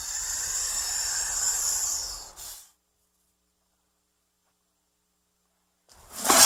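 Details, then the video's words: Snake hiss, given when threatened or frightened: a softer, breathy two-second exhalation that fades out, followed by several seconds of silence and the sudden onset of a sharper hiss at the very end. "Il Sibilo Segreto dei Serpenti | Snake sound – Hissing sound"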